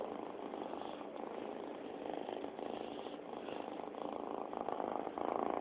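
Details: Bobby, a pet cat, purring steadily indoors: a continuous low rumbling throb with even, unbroken texture and slight swells in loudness toward the end.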